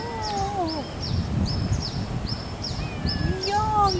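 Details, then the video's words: Pet male cat in a hot Asian setting, a falling meow at the start and a rising one at the end, with a string of sharp high chirps repeating about every half second behind it. "Roaring Mini "Black Panther""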